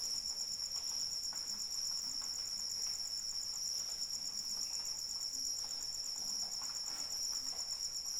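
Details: Crickets keep up a ceaseless, rapid metallic trill in falling rain; the shrill pulses stay level and unchanging as light rain hisses softly in the background.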